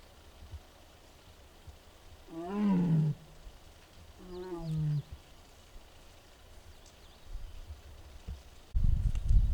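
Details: Mugung, a six-year-old tiger at the Tiger Forest of Baekdudaegan National Arboretum in Bonghwa, Korea, filmed on an April 24 afternoon and perhaps unwell, gives two drawn-out, harmonic moaning calls, each under a second, the second a little lower, then a loud low thump.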